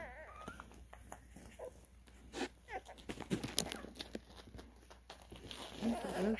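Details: Twelve-day-old Cane Corso puppies at a kennel as recall training begins; a female pup called grumpy and ferocious gives short wavering whines early on, then low grunting squeals near the end, amid soft handling rustles and quiet talk.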